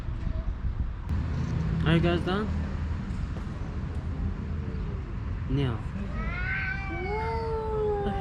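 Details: Stray tomcats, a tuxedo among them, yell at one another to win a female house cat, without fighting physically; brief human remarks first, then a rising, wavering yowl swelling over the final two seconds.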